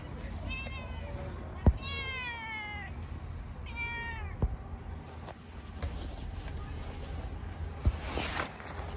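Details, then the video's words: Pregnant cat angrily attacking another feeding cat: two drawn-out, falling, whining yowls about a second long each, separated by sharp clicks, over constant low background rumble. "Angry pregnant Cat is attacking other Cat while she is eating."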